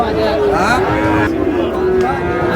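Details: Young Sahiwal bull calves, five to six months old, sold as a pair at a Bangladeshi cattle market on 5 June: a steady, sustained moo running through the moment, heard against loud bargaining voices and market noise.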